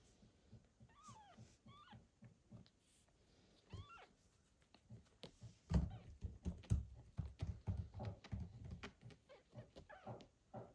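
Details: Newborn kitten Michael with his mother cat, recovering from surgery after a difficult birth, indoors; a few thin high falling squeaks, then a run of soft low rhythmic thumps and rumbles as the mother is combed.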